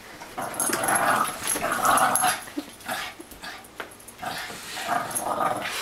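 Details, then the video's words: Boston Terrier playing indoors with a Great Dane: rough, buzzy play growls and snarls come in bursts, swelling and fading over several seconds, with short yips and scuffling between. "Boston Terrier Playing with Great Dane"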